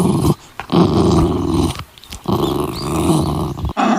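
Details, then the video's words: Puppy playing on green grass, growling in deep, rough, sustained bursts broken by two short pauses. "Adorable puppy playing on the green grass - Dog Barking Sounds - Dog sound"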